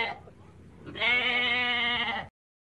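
A goat gives a single loud, wavering bleat lasting just over a second.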